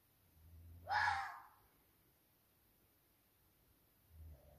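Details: Single harsh, rasping bark from a young roe buck in the forest at 2 a.m. during the rut, posing as the dominant buck; short hoarse burst followed by near silence and a faint low rumble.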